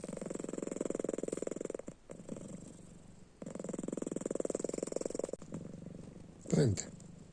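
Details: House cat snoring as it sleeps with open eyes: long low rattling breaths of one to two seconds with quiet gaps, and a person speaking briefly near the end.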